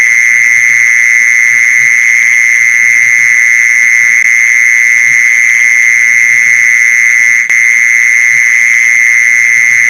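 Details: Mole cricket call, played to lure mole crickets: a loud, unbroken, steady high buzzing trill that holds one pitch throughout, with a fainter higher overtone and soft low thumps underneath.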